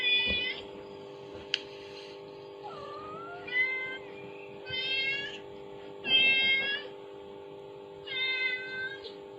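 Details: A mother cat's calling sound plays from a phone as kittens react; five high, bright meows spaced one to two seconds apart, some rising and others flat, with a brief click and a steady background hum.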